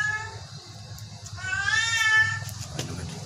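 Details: A sick Persian cat gives one whining meow that swells in the middle and rises slightly before fading. Low background rumble runs throughout.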